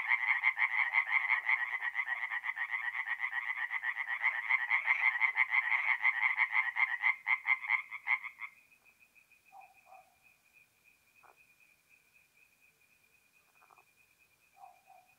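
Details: Tree frogs singing at night at a forest pond in mid-April in north-eastern Italy: a dense, fast-pulsed rattling chorus for about eight seconds, then it drops away to a faint steady whine and a few scattered short croaks.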